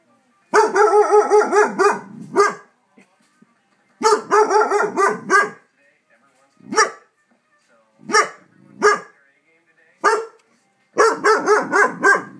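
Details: Large dog reacting to neighborhood fireworks, giving rapid runs of tonal, pulsing barks in several bursts separated by short silences, with a few isolated sharp barks between runs.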